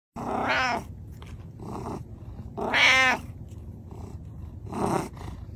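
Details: Pet cat wearing a tie gives three loud, drawn-out meows about two seconds apart, each rising then falling, with softer short murmurs between them.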